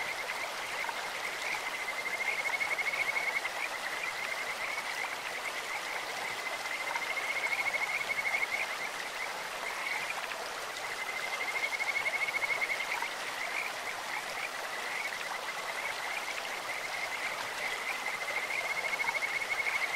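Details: Kajika frogs calling in a stream: separate bouts of high, fast-pulsed, whistle-like trilling, each lasting a second or two, recur about every five seconds above the steady roar of flowing water.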